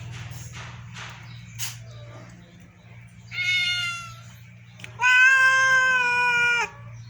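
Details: House cats being fed rice, with milk mentioned; soft clicks and rustling, then two loud meows, the second long and steady for over a second and a half, over a steady low hum.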